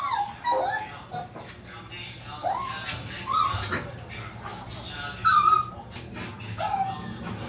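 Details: Two Maltese dogs react when one of their household of three is taken out without them: high, thin whines that rise and fall, repeated about five times over several seconds, over low background noise.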